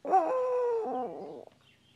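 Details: Sustained dog howl: a clear tonal cry starting strongly, holding level for about a second, then sliding lower and fading out by one and a half seconds, followed by near silence.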